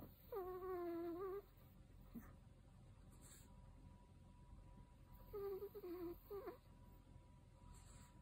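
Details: An elderly male Chihuahua, 13 years old, snores loudly in high, reedy, whistle-like nasal tones, each about a second long and wavering slightly in pitch, recurring roughly every five seconds over a quiet room hum.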